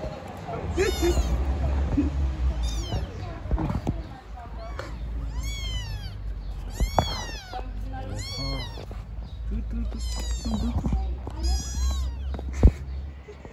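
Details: Stray kittens living on the street meow repeatedly in high, arching, harmonic cries, several overlapping, with a woman speaking Turkish and a steady low hum underneath.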